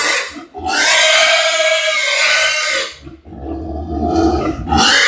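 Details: Pigs at Ferme Lucerne Paradis during artificial insemination of a sow: long, loud, strained squeals held for over two seconds, a short break, then more shrill squealing, with low rumbling underneath.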